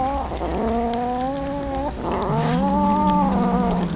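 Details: Hungry street cats at feeding time, two long meows each lasting around two seconds, the second lower and wavering, over constant low rumbling background.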